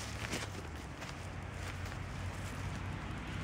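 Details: Only footsteps and a steady low outdoor rumble are heard, with no animal calling.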